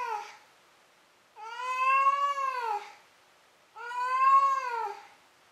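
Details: Pet cat Maru calls out indoors after chasing and catching his toy: two long, loud, arching meows roughly two and a half seconds apart, following the tail of an earlier one.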